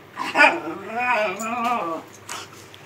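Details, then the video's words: Khybee, a male Miniature Schnauzer, throws his morning fit over having to get up while his bed is made and his yellow blanket folded. His drawn-out, wavering whine-groan rises and falls in two arching phrases, then a shorter moan. "Mini Schnauzer temper tantrum"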